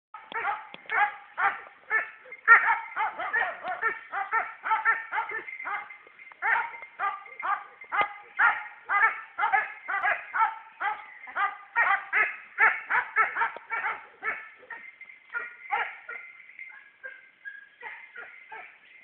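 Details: Hounds and a German hunting terrier during training; a steady run of rapid, overlapping yapping barks, about two a second, goes on for nearly twenty seconds and thins out toward the end.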